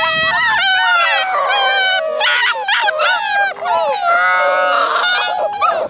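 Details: Alaskan Malamute puppies from a litter of eight born in February 2013, howling together in overlapping, wavering high tones that slide up and down, with several voices layered continuously through the whole stretch.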